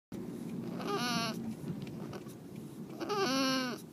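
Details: Tomato, a female domestic cat crying after her spay on the way home; two drawn-out wavering meows with rising then falling pitch, about two seconds apart, over a low engine-like hum.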